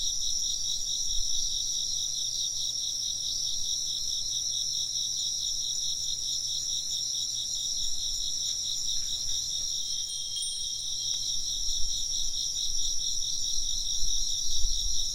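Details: Chorus of chirping insects, steady throbbing high-pitched trills overlapping without pause, while a wind chime rings a clear sustained tone about ten seconds in; low background rumble beneath.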